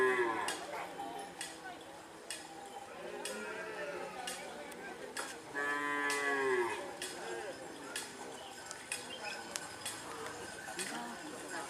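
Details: Madura cattle at karapan sapi bull-racing practice on the Asemanis field in Pamekasan, Madura, East Java, Indonesia, where a collision happened. One drawn-out, falling harmonic moo rises above a busy, noisy crowd with shouting and clinking.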